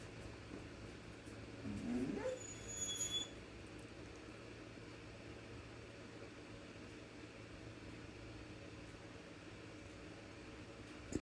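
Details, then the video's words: Yawning dog gives a drawn-out breathy groan that slides upward into a short squeaky note around two seconds in, then quiet room hum for the rest. "Look at him yawning lol so cute"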